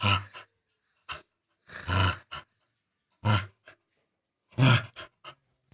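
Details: Playful Indian pariah dog during play, giving bursts of low, rough growling and grunting vocalizations, roughly four separate bouts with short silent gaps between them, heard indoors.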